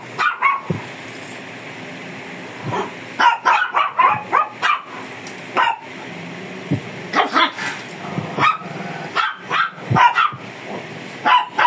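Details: Fierce Shih Tzu being groomed, giving short sharp barks in scattered bursts, some single and some in quick clusters of three or four, over a steady background hiss.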